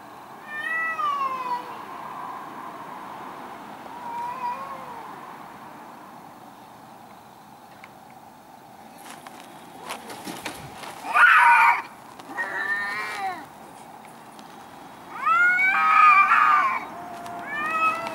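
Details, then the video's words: Two angry cats fighting in a garden, trading drawn-out wailing yowls with rising and falling harmonic contours, several loud overlapping bursts late on, separated by quieter low moans and pauses. "Angry Cats"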